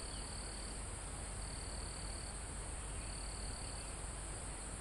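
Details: Crickets and other insects in a forest almost at the top of a mountain, recorded live with calm wind in the foliage and trees: a steady high insect hum, with high trilled bursts under a second long returning every one to two seconds over low wind rumble.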